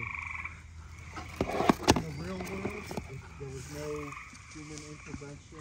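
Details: Gray treefrogs trill steadily in the background, with mosquitoes about, while a man talks over them as he releases 9-month-old head-started turtles.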